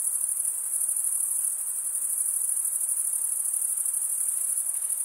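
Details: Chorus of crickets stridulating, a continuous high-pitched ringing trill with rapid fine pulses and a brief slight dip in loudness midway, soft background hiss beneath.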